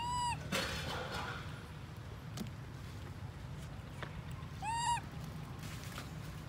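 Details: Baby monkey Lori crying after her mother Amari leaves her alone: two short arched, whistle-like cries, one at the start and another near five seconds, each rising then falling with bright overtones, over a steady low rumbling background.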